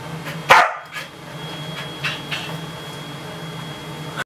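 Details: A 4-year-old, energetic Corgi playing and trying to get a rawhide from his owner gives a single sharp, loud bark, followed by a few faint, soft sounds.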